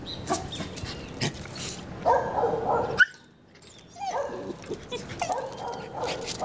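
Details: Border Collie named Shirra making friends with a neighbour: a burst of barking near the start, a sudden hush, then further rough barks and yips over steady background noise.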